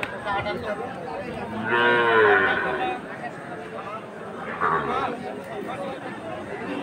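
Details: Sahiwal bull calves bred for farming, bought by a farmer in Jessore, Bangladesh, on 13 March 2023; one drawn-out, low moo swells near the middle, with human voices and chatter throughout.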